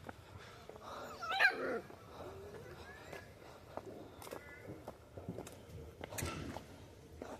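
A street dog gives a loud, harsh bark, followed by a few scattered yelps.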